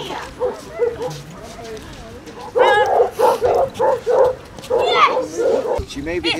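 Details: A person talks first while Basset Hounds on a beach walk at Burnham, Somerset, on 2 February 2014 stay quiet, then a run of loud, ringing bays follows at a brisk, uneven pace, one rising into a higher howl near the end.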